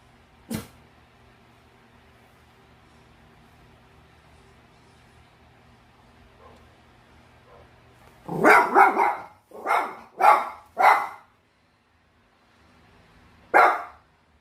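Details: Pet Bichon Frise dog, 806 days old, barking indoors: after a long quiet stretch, a burst of five quick sharp barks, then one more bark a few seconds later.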